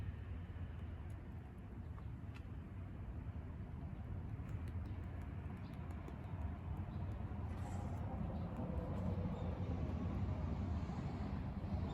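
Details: Steady low rumble of urban traffic with passing vehicles, a faint high whine and scattered clicks; no clear animal voice stands out.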